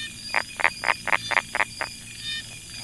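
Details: Brown tree frog close by in a Chiang Mai rice field, Thailand, calling a series of seven loud, evenly spaced rasping knocks about a quarter second apart, with faint insect hum behind.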